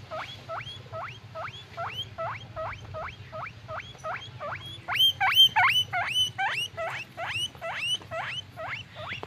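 A guinea pig gives a fast series of high, rising squeaks, several each second.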